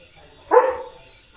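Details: A single short, rough bark from Leo the German Shepherd out in his field, clear against a quiet background.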